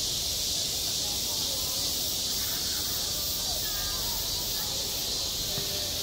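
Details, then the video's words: Summer cicadas droning at a school sports ground, one continuous shrill hiss holding level throughout, with soft, scattered traces of far-off chatter underneath. "한 여름 운동장에서 매미가 울고 있다"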